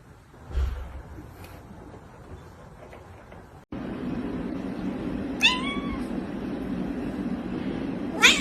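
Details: Domestic cat giving a short meow that drops in pitch partway through, then a second brief call near the end, over a steady low hum of indoor background noise; a woman speaks softly to the cat just before.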